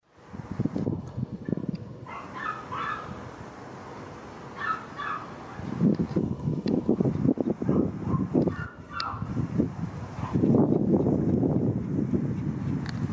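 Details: Male Welsh Corgi puppies, born in April and May 2021, give short, high yips and whimpers amid low rumbling and shuffling noise.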